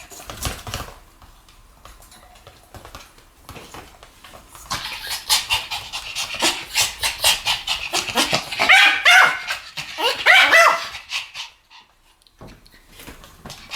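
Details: Pomeranians in a duet of barking, starting with soft panting and scattered faint yips, then building into a dense run of quick high-pitched yaps for several seconds before fading out.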